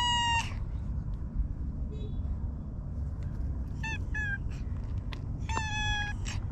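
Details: Park stray cat Hige Danshaku makes a short meow at the start, a quick pair of falling meows midway and a final longer meow, separated by quiet gaps filled with heavy low outdoor rumble.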